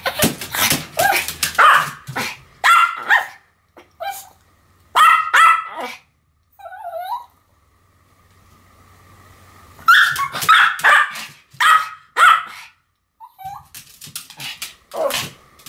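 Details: Two Pomeranians, Sam and Marin, barking together in a duet: sharp yappy barks in bursts, with a pause in the middle before a second run of barks and a short whine.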